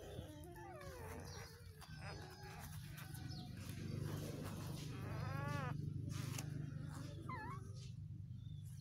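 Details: Two-day-old newborn puppies sleeping, giving soft high whining squeaks and curving whimpers, some rising and falling in pitch, scattered over a steady low hum.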